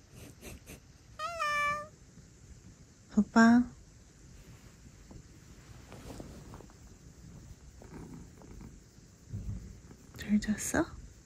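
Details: Sobbang, a male British Shorthair lounging on a lap indoors, gives a clear tonal meow, then a shorter rising mew two seconds later and another near the end, with quiet human speech and rustling between.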